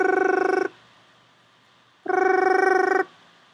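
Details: Male toad trill used as an example: females recognise their own species' call, and related toads living together trill at different frequencies. Two long, even, buzzing trills of rapid pulses with stacked harmonics, the second starting after a pause of over a second.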